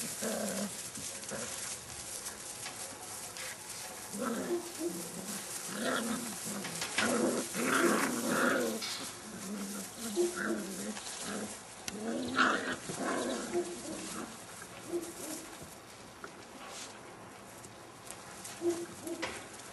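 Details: Seven-week-old Airedale Terrier puppies from a kennel litter. Low, rough growling bursts mixed with short yelping notes come in irregular clusters, louder through the middle stretch, with soft rustling between them.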